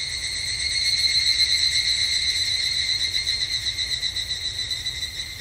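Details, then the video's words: In a Japanese summer temple setting, an evening cicada trills in fast ringing pulses with layered high tones, growing louder early on, then wavering rhythmically as it slowly softens. "日本の夏～お寺とひぐらしの鳴き声Japanese Summer Temple and Evening Cicada"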